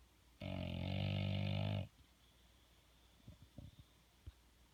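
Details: Bulldog asleep and snoring, the snores said to sound like farts; one long, buzzing, low rumbling snore of about one and a half seconds, then quiet with faint snuffles and clicks.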